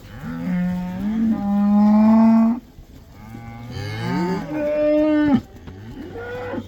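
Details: Cattle going back into the pasture in the Netherlands, the cow dance or koeiendans, black cows among them: two long loud harmonic moos, the first steady and drawn out, the second rising then falling, followed by a short softer moo.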